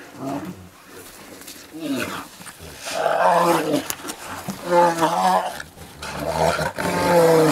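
A bear gives a series of deep, moaning, groaning calls that swell and fade.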